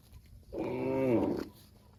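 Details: Cow mooing to its extended family: one steady, low moo of about one second, swelling slightly in the middle and dropping off sharply, over faint background hum.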